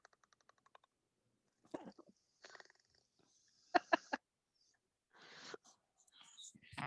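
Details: In spring in Maine, a leopard frog calls with a fast run of dry, loud tapping clicks like a woodpecker, then low, rough grunts and groaning rattles in uneven bursts.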